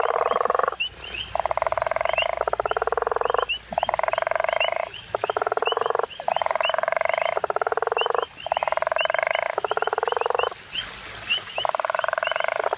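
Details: Guttural toad chorus in Hazyview: deep, buzzing pulsed snores, each near one second, following one another almost continuously and sometimes overlapping, with faint high chirps in the background.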